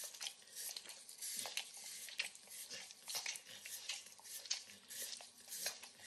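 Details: Eager licking by Max, a 9-year-old Pit Bull, enjoying overcooked bacon in a kitchen. A steady run of moist smacking clicks comes about 97 times a minute in loose clusters over a quiet room background.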